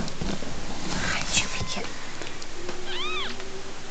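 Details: Sixteen-day-old kittens born to a stray tortoiseshell mother in a back closet: a thin, high arched mew near the end, over steady background hum and handling noises, with soft whispered human voice earlier.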